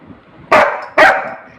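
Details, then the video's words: Hungry house Labrador Retriever Rimi fighting for food: a pair of abrupt, broadband barks spaced about half a second apart, with quiet room sound between. "cute Labrador fighting for food"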